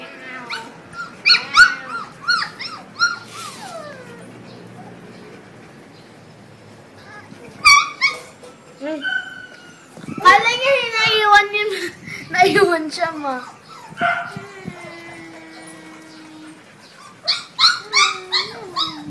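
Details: Five-week-old male Labrador Retriever puppies from a first litter: high whining whimpers and squeaky yelps in scattered bursts, some drawn-out falling whines, with pauses between.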